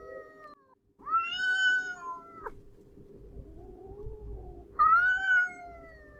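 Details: A grey-and-white domestic cat (Felis catus) gives drawn-out, wavering howls of discomfort and worry at another cat out of view, which answers with quieter, lower howls between them.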